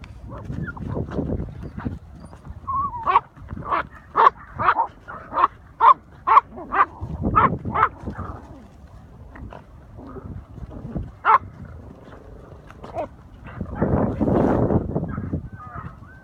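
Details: Patterdale terriers, including a 10-week-old puppy on its first hunt with older dogs, dig at an armadillo in a hole; a quick run of sharp yapping barks, roughly two per second, then scuffling, panting and a man's voice.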